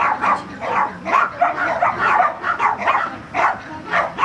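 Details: Barks from a Border Collie during agility training at Vale do Sol, Guapimirim, fired in a rapid, steady series of about three per second, rough and mid-pitched.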